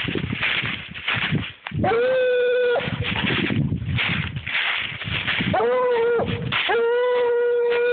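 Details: Clarence, a 7-year-old Treeing Walker Coonhound, on a deer trail, gives three long, steady, ringing bawls about two seconds apart, each held level then breaking off, over constant rustling and crashing through brush.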